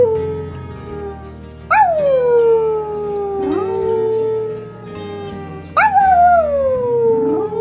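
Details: Dog howling, a behaviour inherited from wolves, which howl to find their pack: long sliding tones that rise sharply then fall slowly, three howls starting near 1.7, 3.5 and 5.8 seconds, over background music.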